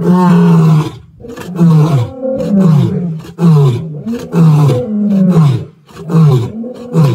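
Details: Wild male lions of the Plains Camp group roar in Sabi Sands, South Africa, on 9 April 2024. A long, deep moaning roar opens, then a series of shorter grunting roars follows, each falling in pitch, about one every half second to second.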